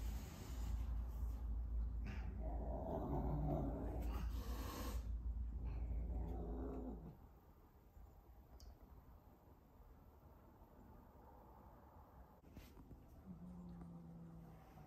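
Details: A British Shorthair cat gives low, drawn-out growling yowls that waver in pitch, then falls quieter, reacting to a visiting cat boarding in the house during its first few days.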